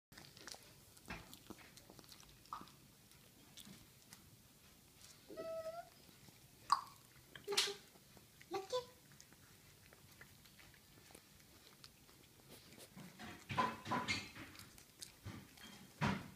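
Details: Pet poodle eating food indoors: scattered wet chewing and crunching clicks with brief pauses, a denser run of bites near the end, and a few short human vocal sounds between bites in a small quiet room.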